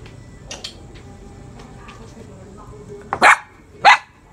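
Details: Belgian Malinois puppy, two months and two weeks old, being raised at home. Two sharp, loud barks come near the end, about half a second apart, after quieter clicks and faint background sounds.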